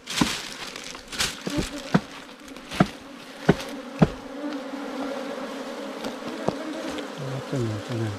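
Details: Wild ground bees nesting in an underground cavity, smaller than kept honeybees and giant honeybees, disturbed as honey hunters dig out the nest; a steady low droning hum runs throughout, broken by sharp knocks and taps.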